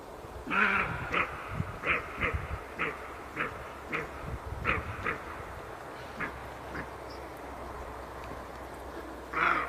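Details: Repeated coarse barks from a roe deer, roughly one every half second for several seconds, fading and spacing out, then a louder final bark, with low rumbling background noise throughout.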